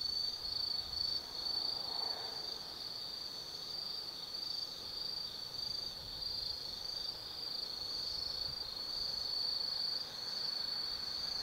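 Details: Autumn night insect chorus at Tsukimi no Mori in Kaizu, Gifu, Japan; a bright unbroken high trill dominates, with a brief softer mid-pitched sound near the start and faint distant hum.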